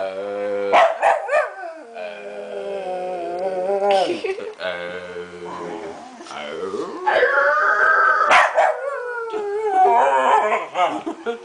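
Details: Little dog Toninho 'talking' with a person: a long run of yowling, howl-like vocal sounds that swoop up and down in pitch, broken by short sharp clicks and brief pauses, growing louder toward the end.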